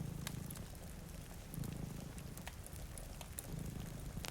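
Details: Deep, throaty purring from two sleeping cats near a rainy window rises in brief surges, accompanied by snapping fireplace crackles and a constant wash of rain.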